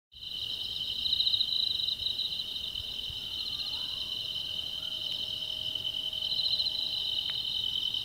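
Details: Insects calling at night in grassy undergrowth, a steady high-pitched shimmering drone with faint pulsing, recorded 7 August 2016.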